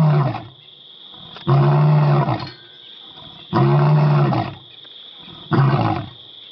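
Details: Zero, the pride male lion at Karongwe Game Reserve, South Africa, roaring at visitors near his pride: deep, powerful grunting roars in bursts roughly every two seconds, with a steady high electronic-like hum in the background.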